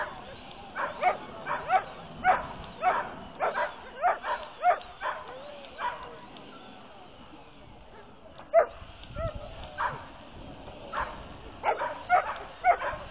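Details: Irish Wolfhound named Majken at her first lure coursing: a run of short barks, roughly evenly spaced, then a brief lull and another burst of barking.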